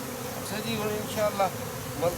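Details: Honey bees fly close by. Several buzzy, gliding tones swell and fade one after another over a soft background hum.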